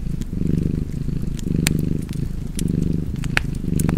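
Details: Deep, throbbing cat purr by a fireplace, rising and falling with each breath about once a second over a few cycles, while the fire crackles and pops sharply above it.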